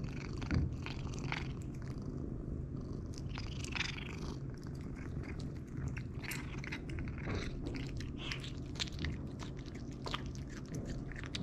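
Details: Low continuous purring from Jericho, a pet cat eating raw food such as ground meat, chicken neck, pinkie mice or freeze-dried treats, overlaid with frequent crunchy bites and chewing clicks in a small room.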